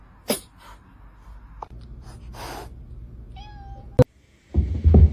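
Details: Pet cat in a funny pets compilation gives a brief, thin, level meow midway, preceded by sharp clicks and a soft rustle, with a sudden thump and low rumbling noise closing the recording.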